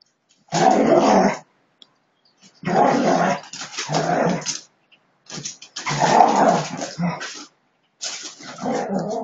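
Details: Playful fight between Siberian Huskies, with four long bouts of raspy, throaty growling and snarling, each one to two seconds, broken by short silences.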